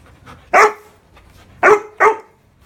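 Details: Old English Sheepdog just after a bath and haircut, giving three short, loud, rough barks: one, then a pause of about a second, then two in quick succession, over a quiet room.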